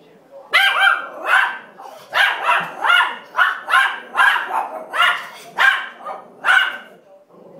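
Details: Pair of puppy-farm rescue dogs barking at backyard breeders on TV, a rapid, steady volley of about a dozen sharp, harsh barks spaced roughly half a second apart.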